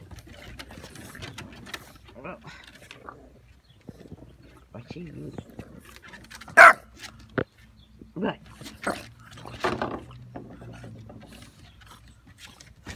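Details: English Bulldog puppies, one a female, give short, sharp yips and barks to get attention while a person talks softly to them.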